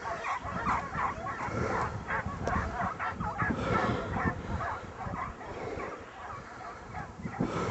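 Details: Kopoy hunting hounds baying as they chase a just-flushed hare over a hill during a hare hunt; irregular, overlapping distant bays and yelps, several voices at once, with wind rumble and handling noise throughout.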